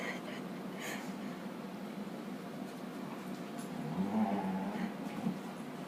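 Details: Lacie, a female dog, making her odd singing, Chewbacca-like, dying-walrus noises while playing with a puppy indoors; a low, wavering moan-like groan rises near the end over steady room hum and faint background speech.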